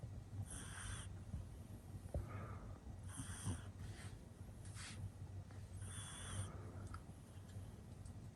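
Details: Sleeping pug puppy, a male born in 2021, giving breathy snoring rasps with whistling nasal overtones, about three bursts spaced roughly two to three seconds apart, above a constant low background hum.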